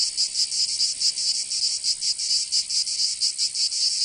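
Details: Provençal cicadas in summer, southern France: a piercing, scratchy buzz with uneven throbbing pulses about five per second, loud and continuous, nothing else audible.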